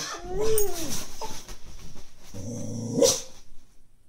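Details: A female Brittany dog gives high, whiny yelps and a longer, strained bark at the neighbour's cat, which is asleep on the lawn, trying to wake it.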